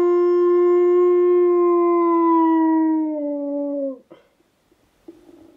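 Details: Husky cross German Shepherd dog howling in response to wolves howling; one long, steady, clear howl of about four seconds that sags slightly in pitch at the end, then breaks off into a brief scuffle and near quiet.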